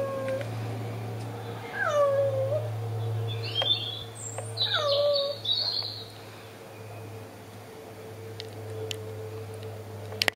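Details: Domestic cat reacting on spotting another cat: two falling meows about three seconds apart, with a brief high chirp and rustling between them, over a constant low hum.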